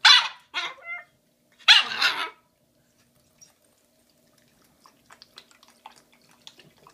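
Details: Shiba Inu puppy Bowie, a female one day short of five months old, barks at a giant Valentine's Day bone on February 14, 2016: three sharp high yaps in quick succession, a louder bark after a pause, then faint clicks and tapping.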